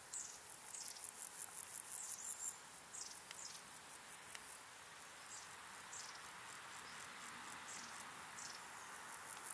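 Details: Large marsh grasshopper (Stethophyma grossum) male in marshland in the Vendée, France, singing with its unusual stridulation: a series of sharp, dry ticks spaced at irregular short intervals.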